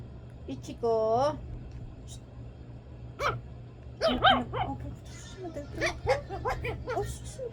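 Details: Ichiko, a two-month-old female Shih Tzu puppy at play, gives a short high whining yelp that rises and holds near the start, followed by a person chatting in Filipino with a few more squeaky puppy sounds mixed in.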